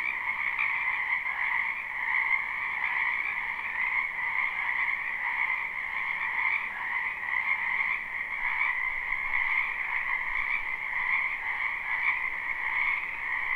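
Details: Many frogs in a springtime wetland, recorded live with no looping, filling the air with an unbroken pulsing chorus of high trilling croaks that swells and dips slightly throughout.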